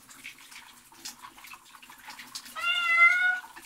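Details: House cat having a shower gives a single loud, wavering meow lasting about a second, preceded by splashing water and soft murmuring.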